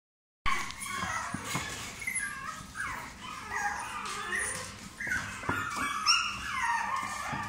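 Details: Toy Chihuahua puppy whimpering and whining in thin, high, wavering squeals that slide up and down, overlapping and restless, with brief yips and faint background noise.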